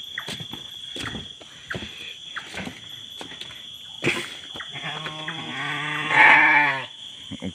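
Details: Goats in their pen at night: scattered knocks and rustles, then a long, wavering, nasal bleat that swells and fades over about two seconds, with a constant high-pitched whine throughout.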